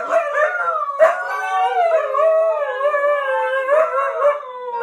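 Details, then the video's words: Pack of huskies howling together: several long, overlapping, wavering howls at different pitches that bend up and down, broken by a couple of sharp yips. "pack husky howl"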